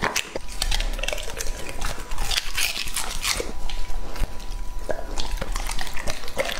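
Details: Close crunching and biting as Lucky, a male English-type Labrador Retriever aged two and a half, chews raw meat indoors; sharp irregular crunches with wet smacks and a faint steady hum.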